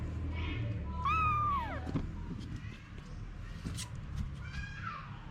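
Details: A single clear, falling meow from the cat family of mother Anna and her kittens, followed by faint scattered mews, clicks and rustling.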